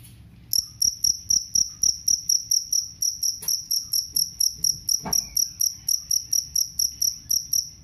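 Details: Cricket known as jangkrik kalung, its call used as a rat repellent: a steady train of shrill, pulsed chirps, roughly two to three a second after a brief quiet start, over a faint low rumble.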